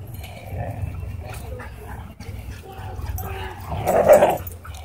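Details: Aggressive husky pinning another dog at a dog park; low continuous growling and snarling rising to a loud harsh burst near the end, with muffled background noise.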